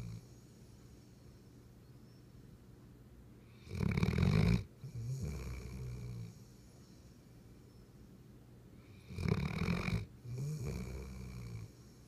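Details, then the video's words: Weimaraner dog snoring, recorded June 10, 2015: two paired bursts of low rumbling, snorting breaths around four and ten seconds, each a loud inhale followed by a softer exhale, with quiet breathing between. "Weimaraner snoring"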